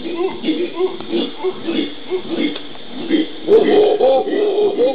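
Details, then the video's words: Howler monkeys in the Pantanal of Brazil, recorded 13 January 2011, giving rhythmic low guttural pulses repeated about three times a second, swelling into a louder, rougher chorus near the end. "Howler Monkeys-monos aulladores"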